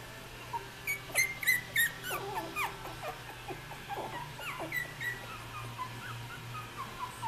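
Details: At 3.5 weeks old, Australian Terrier puppies at nap time let out a run of short descending whimpers and squeaks, louder early and fading to sparse faint cries over a steady low hum.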